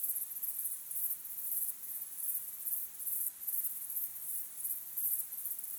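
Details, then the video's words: Evening crickets sounding at sunset: piercing, very high trills in rapid repeated bursts, several callers overlapping into a continuous pulsing chorus, quiet otherwise. "Calm, beautiful sunset sky with crickets chirping sound"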